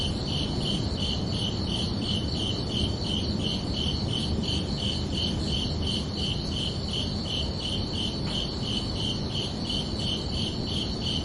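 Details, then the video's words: Summer evening crickets producing a long run of regular high-pitched chirps, closely spaced and unbroken, with a soft higher shimmer of more insects and a steady low rumble underneath. "Calming Cricket Sounds for Relaxation"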